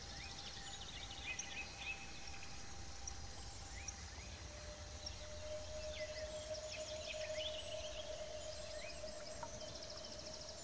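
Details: A large predatory bush cricket (Saga sp., Tettigoniidae) sings in high, rasping pulsed bursts, with a steady droning tone and bird chirps underneath.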